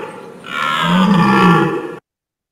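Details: Red deer roar played back for comparison: a deep, drawn-out tonal groan of about one and a half seconds with a rough, noisy upper layer. It swells to a steady level, then cuts off abruptly into silence.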